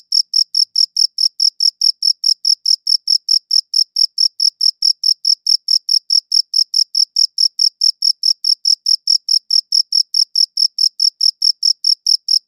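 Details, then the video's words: Cricket chirping, recorded with a good audio recorder: a steady run of rapid, evenly spaced high-pitched chirps, roughly four per second, with a bright upper overtone and no other sounds in the background. "Cricket Chirping Sounds"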